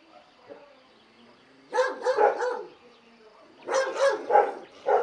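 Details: Dog barking in two bursts of three or four hoarse barks each, over a low steady background hum.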